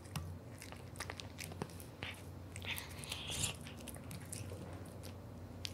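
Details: Close ASMR recording of Aura, a male Devon Rex born July 2021, crunching a big dry fish with no seasoning: dense rapid bites and crackling chews, louder bursts around the third second, low background hum.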